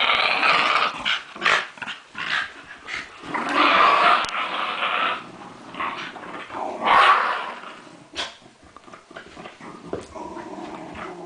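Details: Lakeland Terriers in New Zealand growl through a tug of war, the rough rumbling broken into uneven choppy bursts with scuffling clicks between them, louder surges around four and seven seconds.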